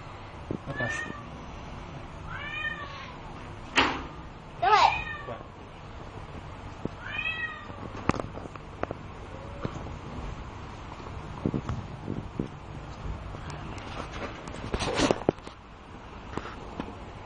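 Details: Bengal kittens aged two months, brown marbled and soft lilac males, indoors at a cattery. Four or five curved, whiny meows in the first eight seconds, then knocks, bumps and a door or cupboard sound.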